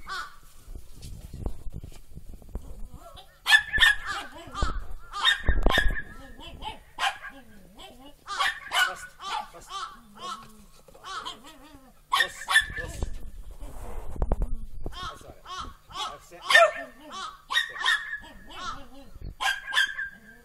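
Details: Four-and-a-half-month-old Border Collie puppies, two females and a male named Kiwi, Lemon and Mutta, full of energy in falling snow, November 2013; repeated high-pitched yelping barks in clusters, mixed with people speaking and low rumbling handling noise.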